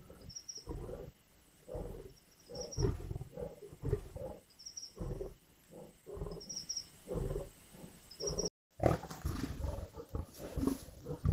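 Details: Lions growling and snarling at a kill in Indian bush; continuous deep, raspy growling with bursts of louder snarls, over faint repeated high-pitched chirping; a brief dropout midway.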